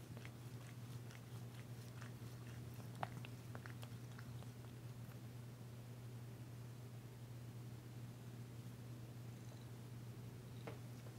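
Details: Danci, a female cat, purring while being massaged, tentative but enjoying the work, her first purr since she arrived: a low, steady rumble under soft clicks and rubbing from hands in a small indoor room.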